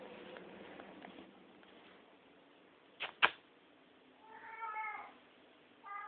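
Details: Domestic cat heard at night from a dark bedroom, giving one clear wavering meow and the start of another, preceded by a sharp double thump and faint murmuring over constant background hiss.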